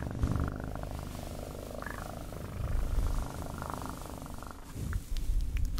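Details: Continuous low, rumbling purr from a domestic cat, pulsing steadily throughout with slight swells in loudness and no other clear sounds.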